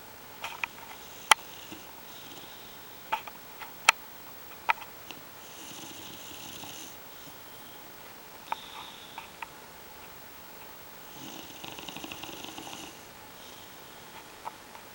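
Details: Bulldog named Starbuck snoring indoors in a small room, quiet breathy snores with airy hiss around 6 to 12 seconds, scattered sharp clicks and sniffs, low overall level.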